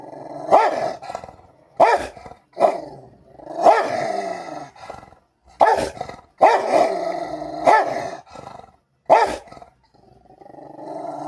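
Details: Rottweiler kept as a pet, fighting with another household pet indoors: about seven sharp, loud barks spread across the stretch, linked by rough, sustained snarling growls between them.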